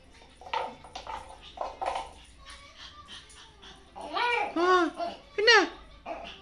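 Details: A puppy playing with a toy dog indoors, giving arched, whiny whimpers that rise and fall, several in a row near the end, after stretches of people talking in Hindi.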